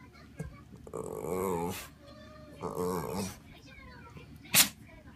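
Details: Dog indoors demanding food, giving two drawn-out, moaning barks with a stepped harmonic pitch, each about a second long, followed by a short sharp burst near the end; faint background hum.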